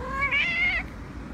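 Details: Female house cat, asked by her owner whether she is hungry, gives one clear meow about half a second long that holds steady and then drops away, with quiet Spanish talk around it.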